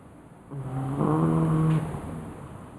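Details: Ninna the pug, asleep and snoring loudly: a single drawn-out, low droning snore of just over a second, rising slightly in strength before fading into quiet breath.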